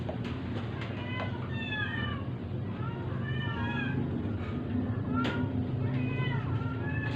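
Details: Sick stray cat being force-fed, giving repeated short harmonic meows, several drawn-out and falling, roughly one every second, over a steady low hum with clicks and handling noise.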